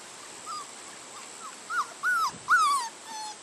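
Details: Labrador Retriever puppies, six weeks old and vaccinated that day, give soft, faint whines at first. These become louder arched whimpers near the end, with a steady background hiss.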